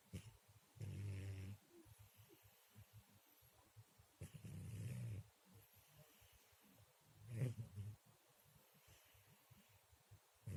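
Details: Sleeping cat snores quietly. Three low, rough, buzzing breaths each last under a second and come roughly every three seconds, with near silence between them.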